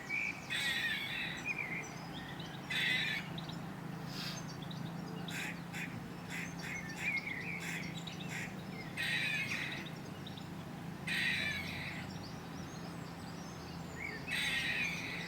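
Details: A grey squirrel in the UK gives harsh, raspy, throaty bark-like alarm calls in bursts, separated by short pauses.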